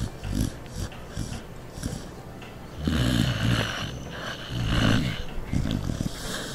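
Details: Norton, a pet dog, asleep and snoring: low rumbling, snorting breaths in uneven bursts, louder swells around three and five seconds, with a faint hiss in the background.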